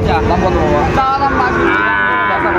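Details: Sahiwal bull calves at Raniganj cattle market, Dinajpur, 29 August 2024, give a drawn-out harmonic moo that wavers and bends through the clip, set against a busy background of market crowd chatter.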